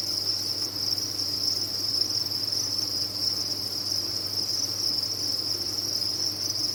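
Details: Farmed crickets chirp en masse, blending into one continuous high, ringing drone of even loudness, with a faint low hum beneath.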